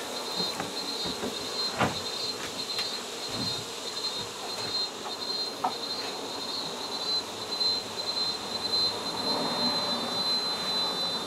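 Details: Exposed honey bee colony in a shed in San Benito, Texas, being relocated while the queen is sought; continuous busy buzzing with a steady high tone, occasional knocks and handling noises throughout.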